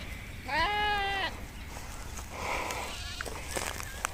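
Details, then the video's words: Sheep from a nomadic herd grazing in Kashmir: one clear, wavering bleat lasting under a second, followed by softer distant bleating and a low background hum. "Beautiful sound of sheep grazing in nature"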